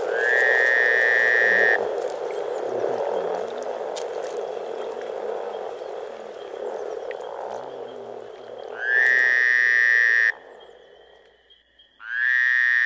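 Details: Spring chorus of more than 300 frogs at Teisko, Pirkanmaa, Finland: a continuous low purring murmur with rhythmic grunting croaks, interrupted at the start, near the end and again at the close by loud, harsh, steady electronic buzzer tones.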